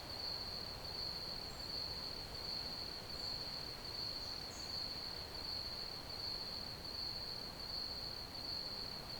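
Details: Steady chirping of crickets forms an unbroken shrill tone at one pitch, a couple of faint higher peeps appearing briefly, all over a soft, broad background rustle.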